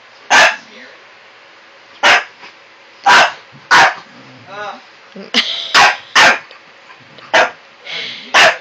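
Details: A French Bulldog puppy barks at an old Cocker Spaniel, keeping it up for over an hour. Sharp, loud single barks come about once a second with uneven gaps, while people talk quietly in the background.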